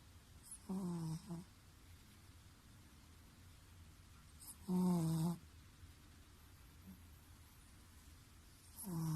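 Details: Chihuahua fast asleep and snoring loudly: three short, throaty, buzzing snores with a low nasal tone, spaced roughly four seconds apart, quiet room between breaths.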